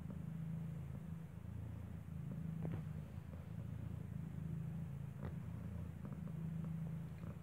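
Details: Steady low rumbling purr, swelling and easing about every two seconds, from Kartopu, a cat who gave birth inside a building, while her newborn kitten, eyes not yet open, nurses at her side; faint clicks and soft background hum.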